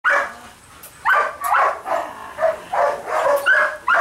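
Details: Twelve-week-old Dutch Shepherd and Malinois puppies giving rapid, high yappy barks and yips, about two or three a second, with some overlapping one another.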